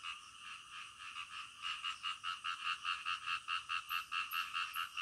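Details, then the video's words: Nighttime frog chorus building from a soft hum into evenly spaced, loud pulsed croaks, roughly two to three per second, steady and regular. "SUARA KODOK DITENGAH MALAM"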